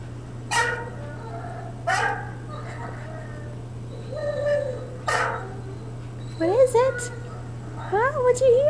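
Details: A Great Dane, reacting to a video of another Great Dane barking and looking outside for it, gives three deep, spaced barks followed by rising and falling whines.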